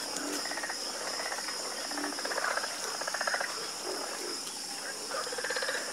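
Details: Chorus of frogs croaking in overlapping bursts of rapid, rattling pulses, several callers answering one another, over a steady high insect-like hiss and a faint constant hum.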